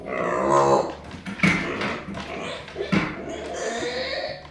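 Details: Pet micro pig Arya, upset and angry after being left behind, gives a drawn-out harsh squeal followed by short sharp cries and snorts.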